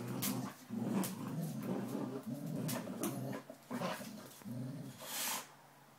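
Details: Twelve-week-old Border Collie puppy Inca tugging against a 9-year-old Springer Spaniel, with a steady low growl rising and falling in pulses, plus a few brief whimpering yips and scrabbling noises.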